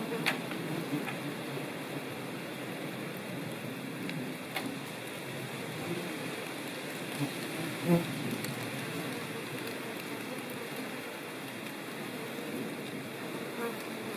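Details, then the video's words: Ivy bees (Colletes hederae) in countryside of central France, Nouvelle-Aquitaine, 17 September 2018, gathering pollen and nectar stored in ground burrows for larvae; a steady low droning hum of buzzing throughout, with one louder passing buzz near the middle. "COLLÈTE du Lierre/Colletes hederae ! BRUITX"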